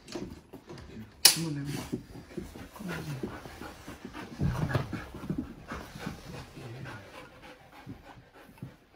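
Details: A Siberian husky meeting a new female puppy pants and makes low, breathy vocal sounds, with a sharp knock and human voices nearby.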